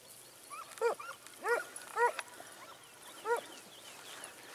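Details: Segugio Italiano hounds, smooth- and wire-coated, hunting hare at Sofiko, Evros, Greece, on 18 October 2015; outdoors, four short ringing bays spaced about half a second to a second apart, faint birdsong and background hiss behind.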